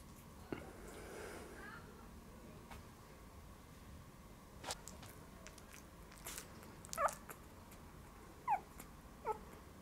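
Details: About three-week-old puppies with newly opened eyes, a litter of two males and three females, give a few faint, high whimpering squeaks that slide downward among soft indoor knocks.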